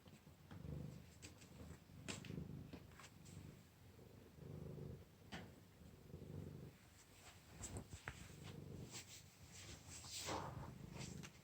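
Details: Domestic cat rolling on the stairs indoors, kept inside to sleep because of cold weather; a low rumbling purr in steady pulses of about a second, with soft rustles and clicks of movement between them.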